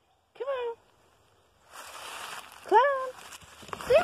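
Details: Male pet cat on a walk in the woods on a fine day, giving three clear meows: each rises sharply, then levels or falls slightly, with rich harmonics. Soft rustling and outdoor background noise fill the gaps between calls.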